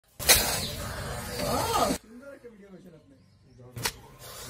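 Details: A mother leopard cat with kittens at Chittagong Zoo, Bangladesh, lunges at a photographer's camera, giving a harsh, explosive hiss with a rising snarl, followed by human voices.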